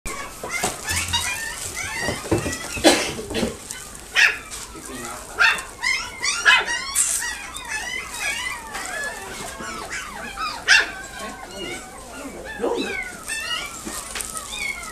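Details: A Shih Tzu puppy at a pet shop in Nagoya gives rapid high whines and short yelps while people talk nearby.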